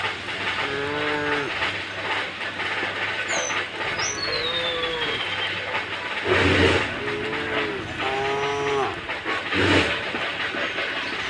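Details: Tame cattle herded across a wooden bridge toward green fields, moving calmly together; several drawn-out, low harmonic moos from more than one animal, some overlapping, over steady rushing background noise, with a brief high descending whistle-like sound midway.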